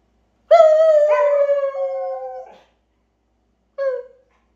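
A Siberian Husky gives a long, steady howl, then a brief second yelp.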